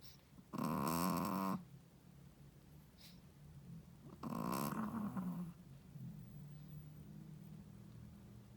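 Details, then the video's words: Sleeping Shih Tzu mother, first-time mom, gives two loud, raspy snores of about a second each, three seconds apart, followed by softer wheezy breathing. "How loud does a shih tzu mommy snoring?/ Shih tzu snoring"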